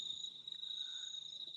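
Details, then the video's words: Crickets on a warm, cloudy summer night in the Auckland suburbs, giving a steady, unbroken high-pitched trill that holds one even tone throughout, with a fainter higher overtone and no other clear sounds. "Yeah, but it is warm, and you can hear the crickets."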